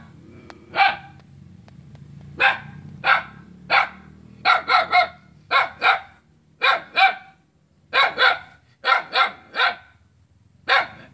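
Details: A dog barks loudly at its own neighbour in sharp, harsh bursts, some single and some in quick runs of two or three, recorded Saturday 5 August 2017 on Jalan Kolonel Sugiono, Selat, Kapuas, Central Kalimantan.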